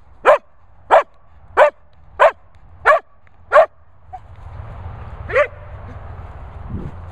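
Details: Barney, a Sprocker spaniel at Worcestershire dog kennels, gives six evenly spaced sharp barks about every two-thirds of a second, then falls quiet apart from one softer bark amid rising background hiss and low rumble.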